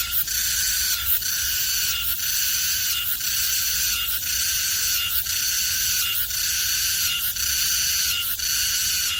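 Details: High, steady rasping drone from Meimuna mongolica cicadas on a maple tree at Seocho Culture Arts Park, two individuals present. The buzz pulses roughly once a second throughout.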